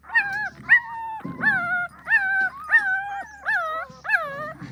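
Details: Pahadi dogs, a mother keeping watch over her puppies; short, high whining yips that rise then level off, roughly two per second, with soft rustling between calls and a faint low hum.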